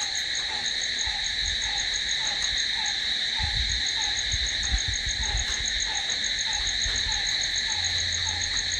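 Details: Crickets chirring through the night in a constant high-pitched trill, with a brief downward-sliding note recurring steadily and low rumbles in the middle and end.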